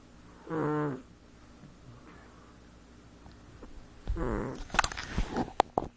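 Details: Sleeping house cat giving a single brief rasping snore, then a second snore partly covered by clicks and rustling handling noise near the end.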